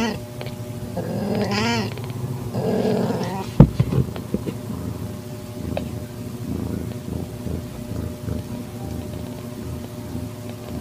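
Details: Calico-tabby cat in heat with a young calico kitten, evening, September; one long wavering yowl followed by a lower moan, then a sharp knock and quiet rustling over a low background hum.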